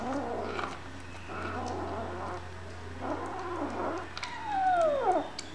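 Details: Hungry kittens meowing: soft murmurs, then one clear, long meow that slides steadily downward in pitch, with a steady low hum underneath.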